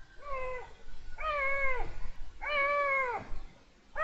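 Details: Male Iberian lynx in heat meowing, recorded 23 January 2022: three drawn-out, nasal, wavering mews, each under a second long and spaced about a second apart. The later two calls are louder and rise slightly before falling away.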